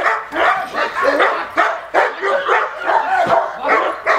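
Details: Attack training session with a male Cane Corso: deep, coarse barks delivered rapidly, close to three per second, some merging into longer rough bursts.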